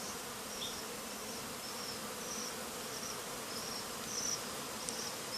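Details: Japanese honey bees kept for forty days fly agitated around their hive entrance after bonfire smoke drifted from ten metres away; a dense steady buzzing hum fills the recording, with faint high chirps dotted above it.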